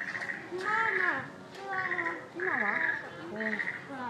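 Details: Chimpanzee Pink Daiya, a 13-year-old at Noichi Zoo in Japan, recorded in March 2023: loud, high, strained cries in drawn-out bursts about every second, with falling and bending tones beneath them over a faint indoor background.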